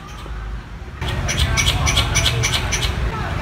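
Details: A squirrel in the city calls for a mate with sharp, repeated chipping calls, several per second, over a low rumble of traffic.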